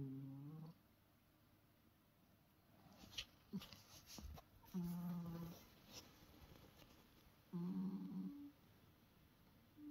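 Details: Yoda, a drowsy Sphynx cat, gives soft, low humming murmurs every few seconds, a contented, happy sleepy sound.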